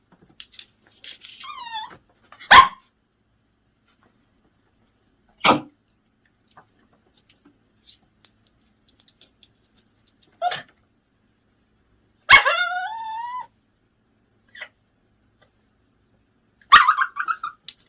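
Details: Bichon Frise reacting to its secretly washed attachment toys hung where it can see them: sharp single barks and drawn-out yelping barks with falling tones, spaced several seconds apart, with small taps and clicks between them indoors.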